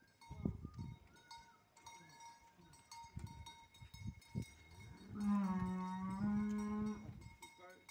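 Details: Pregnant heifers, six to seven months along, at Capoeiras: after scattered speech and knocks, one long, steady, low moo holds for about two seconds, with a constant ringing tone in the background.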